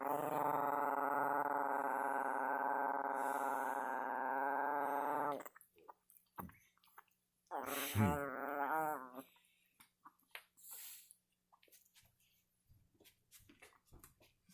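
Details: Chihuahua making strange alien-like noises: a sustained, buzzy, harmonic-rich whine held steady for about five seconds, then a short wavering, warbling cry, followed by quieter scattered snuffles and a person speaking.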